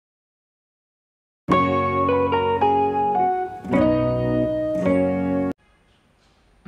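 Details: After a second and a half of silence, a short plucked and slide guitar phrase with organ plays for about four seconds, then fades into quiet hiss.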